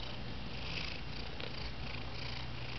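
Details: Close, steady purring from a male house cat that no longer meows, a constant deep rumble with no pauses or vocal calls.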